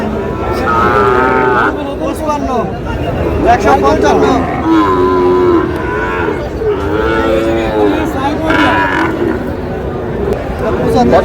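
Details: At a busy Rajbari cattle market selling Sahiwal bull calves, several drawn-out, wavering moos rise and fall around the first, fourth and eighth seconds, set against haggling voices and crowd babble.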